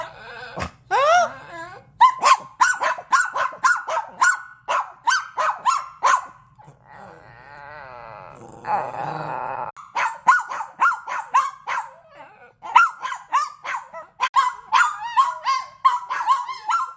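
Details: Dogs in a barking contest, a rescue dog among them: a rapid series of sharp barks with yelping, wavering notes, interrupted mid-way by a stretch of music before the barking resumes.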